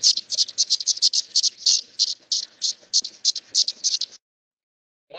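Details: A periodical cicada male's calling song in the treetops, rapid harsh buzzy pulses repeated about three times a second; this chorus draws males and females of the same species together in one place.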